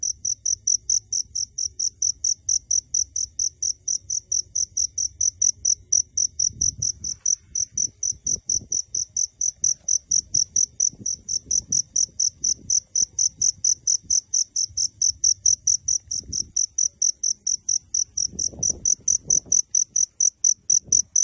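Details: Crickets recorded at close range while staying hidden from view. Clean, high chirps repeat about twice a second without a break. Faint low thumps and rustles sit underneath.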